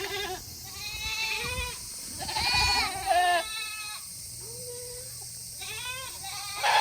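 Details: Several Tokara goats in Himi, Japan, bleating on a hot August day as they wait to be let back into their shed; a chorus of overlapping nasal bleats, some rising then falling, with steady low farm hum.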